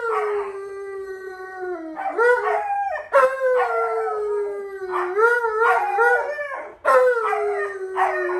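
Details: Male Alaskan Malamute answering a smart speaker and showing how a wolf howls: a long, steady, mid-pitched howl sliding gently downward, broken by three bursts of warbling, yodel-like 'woo-woo' talking sounds that rise and fall.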